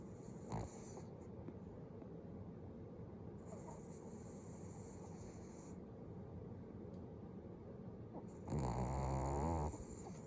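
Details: A pet dog sleeping with its eyes open gives one low, rumbling snore with a wavering buzz near the end, after a long stretch of quiet room hiss.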